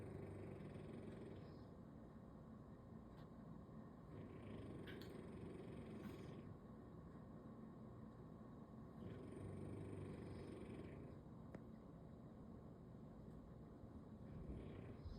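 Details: A bulldog asleep belly-up on a Sunday snores in a steady low rumbling purr, with raspier breaths returning about every three seconds over a quiet indoor hum.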